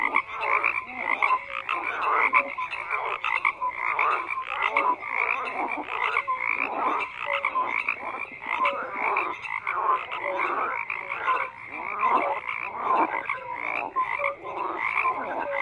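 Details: Sustained frog chorus: countless croaks blend into a steady, throbbing rattle, with sharper individual calls and short piping notes rising above it throughout the recording.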